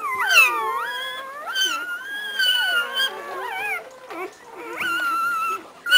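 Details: Newborn chocolate Labrador Retriever puppies from the Spice and Buck litter, January 23 2007: several overlapping high, wavering whines and squeals with sliding pitch, rising and falling in long drawn cries, continuous over several seconds.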